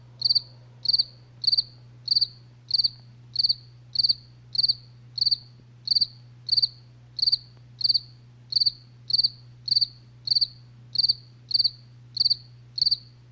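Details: Crickets at night giving a long, regular run of bright high chirps, about twenty in thirteen seconds, each a brief cluster of pulses, with a constant faint low drone behind.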